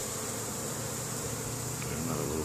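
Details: Honey bees foraging in spring at their hive in Caribou, Nova Scotia, Canada, on May 10, 2015, carrying pollen home; a steady, dense, low buzz of many wings fills the air without pause.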